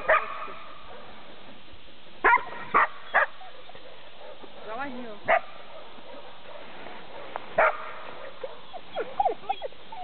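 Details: Border Collie Jim barks while herding on 14 March 2009. Short single barks come in a loose group of three, then one more after a pause. Faint wavering voices and soft scattered yips run underneath.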